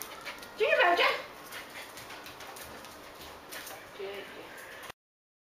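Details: Indoors, Miniature Schnauzers jumping hurdles in the house give one high, quick yipping burst near the start, followed by quiet room sound with faint voices.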